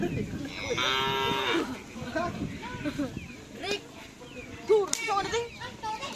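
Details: Cattle at a karapan sapi bull race training session at the Asemanis field, Pamekasan, Madura. One drawn-out harmonic moo lasts about a second, surrounded by crowd voices, music and general field bustle.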